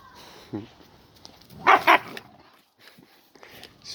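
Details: A Siberian Husky out in a forest gives two loud, sharp barks in quick succession, with a softer yelp earlier and people talking nearby before and after.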